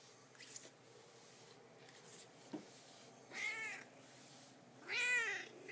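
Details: Female domestic cat indoors, out of food and coming to fetch her owner: two clear harmonic meows around 3.4 and 5 seconds, the second louder and wavering, with faint clicks and room quiet between.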